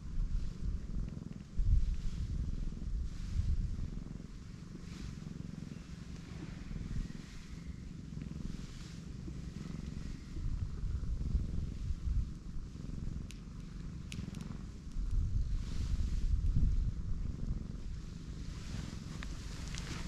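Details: A pregnant black cat, a stray, lying belly-up and letting her big belly be touched, purring in a low continuous rumble that swells and fades, with faint outdoor background noise.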